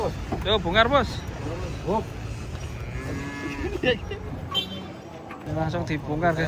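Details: Cattle being unloaded from a truck give short harmonic moos early on, with people talking and vehicle noise in the background.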